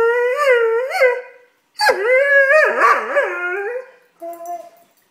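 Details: Drawn-out howling whines from a tantrum-throwing Doberman puppy, warbling up and down, with a short pause and a final softer whimper.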